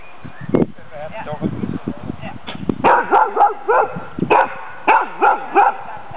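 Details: Female dog Lewanika Dumisani, called Sammy, barking during her Danish Kennel Club temperament test on April 14th 2007 as a ghost figure is approached. Short harmonic barks come in a quick series, with people talking nearby.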